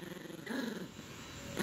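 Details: A female Yorkshire Terrier puppy gives brief, low, throaty growls in bursts while playing tug over a teddy bear toy with her owner, who talks softly nearby.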